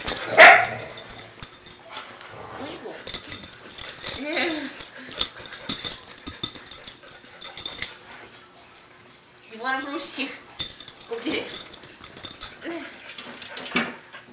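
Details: Johnson the Dachshund and Bruce the mutt play fighting indoors: rough rising-falling growls and short yips in several bursts, mixed with scuffling and a woman talking to the dogs.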